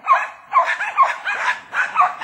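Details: Several Jack Russell Terriers hunting wild boar, which are said to be surrounded and not moving, barking steadily in sharp yappy bursts roughly twice a second, with a few overlapping voices.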